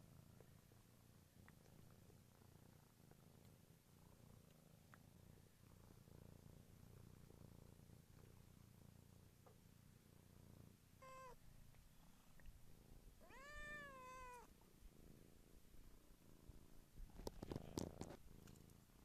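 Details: Village kitten purrs in a steady low rumble for about ten seconds, then gives two meows: a short one, then a longer arching one. Rustling and clicking handling noises follow.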